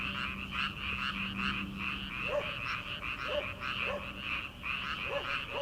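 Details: Frogs calling from rice paddies in early summer, before rice transplanting: a dense, continuous pulsing chorus of many callers, with separate short lower croaks dropping in roughly once a second during the second half.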